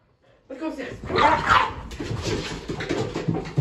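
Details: Keeshond dog going wild with excitement while following its owner up and down the stairs at home; a loud, harsh burst of barking and yelping breaks out after a brief silence, then scuffling, panting and a man's voice talking.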